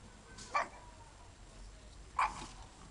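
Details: A pug in the snow gives two short, sharp barks about one and a half seconds apart.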